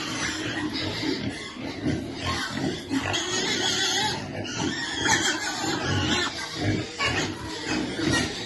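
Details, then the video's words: Baby piglet waiting to eat while being fed: dense, harsh grunting and short squealing bursts run throughout, mixed with rustling and a steady hiss. "Baby piglet waiting eat food"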